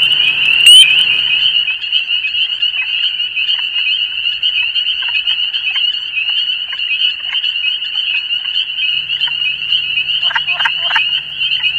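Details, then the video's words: Wild spring peepers calling in Canada in spring, a dense chorus forming a continuous very high-pitched shrill trill, with many peeps overlapping so they merge into a steady ringing band; a few lower clicks near the end. "Là ici on entend juste la reinette crucifère. C'est un son très aigu."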